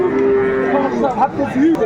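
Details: Sahiwal bull calf at a cattle market on 30 November 2024, sold to a Dhaka farmer; a steady, low, held moo of under a second, then shorter wavering tones, amid market chatter, bargaining voices and background music.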